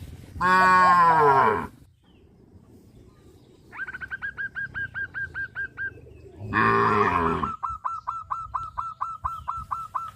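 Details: Two strong, wavering moos sound from tame cows crowding the fields. Between and after them, a bird gives a steady series of short, high chirps.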